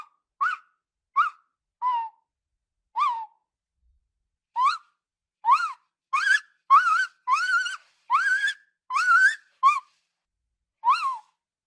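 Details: Shy rainforest tapir calling: fourteen brief tonal whistles, each a quick rise or fall, spaced evenly at first, then faster and louder in the middle before a final lone whistle after a pause.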